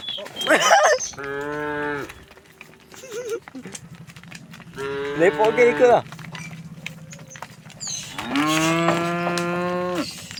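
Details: Cows among thousands of tame cows and oxen heading peacefully along the road to their resting place; three loud harmonic moos roughly every three seconds, the last longest and rising slightly, with other cattle calling faintly and a steady low hum.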